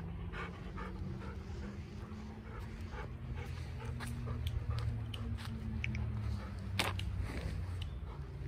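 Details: Golden Retriever panting on a morning walk while hurrying back to the office, one of two dogs, Kohaku and Ibuki, who tend to gallop rather than trot; quick, breathy huffs at roughly 150 per minute over a steady low hum.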